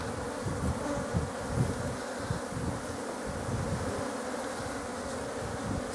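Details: Honeybees from a colony headed by a Buckfast queen, bred in Scotland, at a poly hive: a steady, dense buzzing hum throughout, with scattered low thumps and handling knocks underneath.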